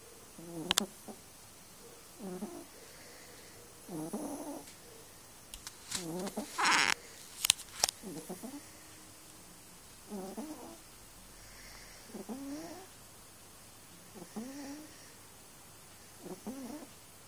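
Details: Snoring cat while sleeping, a run of rough, rasping breaths recurring about every two seconds, broken midway by loud clicks and bursts of handling noise.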